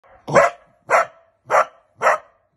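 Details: Male hunting dog, sire of a litter, barking during training on wild boar: four loud, sharp barks spaced about half a second apart, each a short harsh burst, with quiet gaps between.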